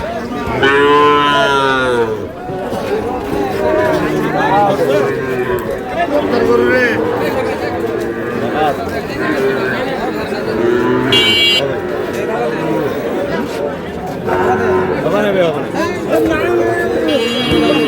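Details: Sahiwal bull calves at a cattle market where a Noakhali farmer buys stock, Bangladesh, 24 February. Opens with a drawn-out harmonic moo lasting about two seconds, followed by steady crowd chatter, bargaining voices and scattered shorter lowing.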